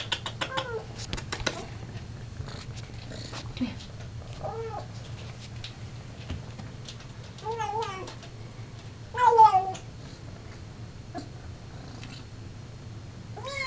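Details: Male Siamese cat singing while eating indoors: a series of drawn-out, wavering yowls with quavering pitch, several spaced through the stretch, the loudest near the end. A steady low hum runs beneath, with a few brief sounds from people early on.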